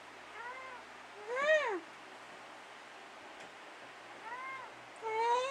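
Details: Dusty, a house cat chatting with his owner in the middle of the night, gives three sparse meows: a soft short one, a louder falling one, then after a long pause a quieter pair rising at the end.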